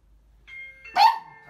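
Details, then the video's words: Pet dog indoors during a home training session, barking in alert at a doorbell and outsiders; a doorbell chime rings, then one sharp, loud bark bursts out and trails off briefly. "초인종 소리에 짖는 강아지"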